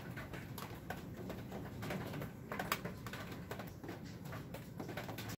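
A Scottish Fold cat snores softly in its sleep, a low rumbling breath sound.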